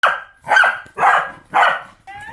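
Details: A 2.5-year-old Pembroke Welsh Corgi that barks at everything, including household members, cars and people, gives four sharp, loud barks about half a second apart.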